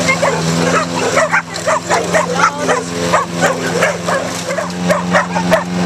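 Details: Several neighbours' dogs, pit bulls and a Jack Russell-type terrier, barking while attacking a lawnmower in a backyard during mowing; sharp barks repeated roughly every half second over a steady low engine hum.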